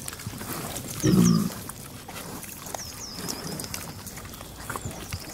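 A pig gives a single short, deep grunt, with faint bird chirps in the background.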